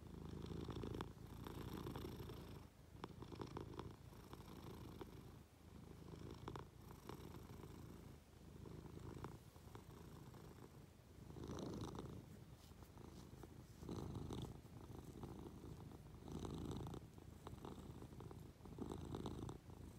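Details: In bed with its owner, a Munchkin cat clambers on and purrs affectionately; a long, deep rumbling purr surges and fades with each breath over twenty seconds, accompanied by quiet rustling of sheets.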